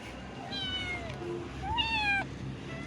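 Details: Hungry cats being fed meow repeatedly: harmonic, slightly falling cries, a short one early and a louder, longer one near the middle, with a person's voice nearby.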